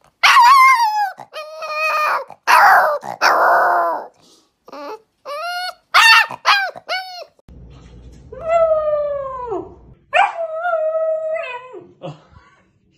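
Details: Puppies learning to howl: high, yelping bursts and wavering whines, then two drawn-out howls of about two seconds that rise, hold, and sag downward, with a faint low hum under the first long howl.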